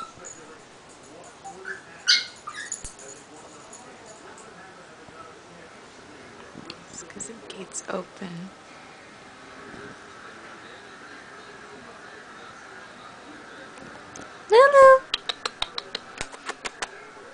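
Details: Two-year-old pet Chihuahua crying indoors after waking up and not knowing where her owner was; scattered soft whimpers and squeaky whines, then a burst of high yelping whines near the end, with household noises.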